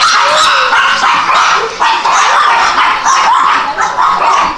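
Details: Several small dogs, the tiniest one looking like a fur ball, keep up continuous shrill yipping and whimpering. The high, thin cries overlap and blur into one steady, excited din.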